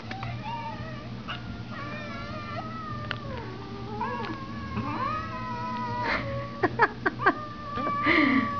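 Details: Two female cats, Sika and Inda, interacting after spending a week together; long drawn-out wavering yowls slide up and down over several seconds, with a few sharp clicks and thumps near the end and faint background hum.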